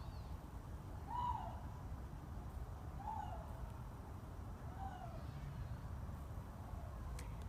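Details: A Canada lynx at a big cat rescue, heard in the background at dusk, gives soft, hooting woo calls, each sliding downward, repeated about every two seconds.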